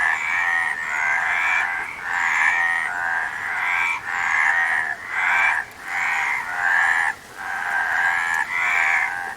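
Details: Repeated raspy frog croaks, about nine rattling bursts in steady succession with brief pauses, harsh and buzzy in tone with nothing else clearly audible.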